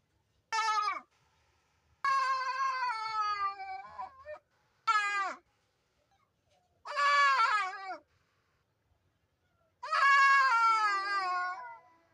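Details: A goat with an abnormal-sounding voice gives five long, wavering, nasal bleats with a strained, almost cat-like tone.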